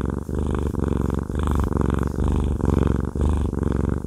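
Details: Deep rumbling purr from Haku, a fluffy tomcat enjoying a massage, pulsing in breath-length phrases about once a second, loud and close, nothing else audible.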